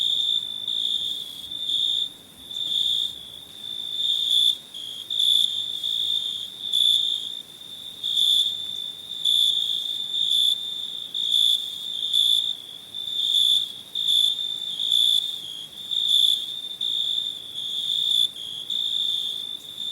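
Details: Crickets singing in summer, recorded for a free sound pack; a bright high trill rises and falls in regular pulses about once a second, several bursts overlapping.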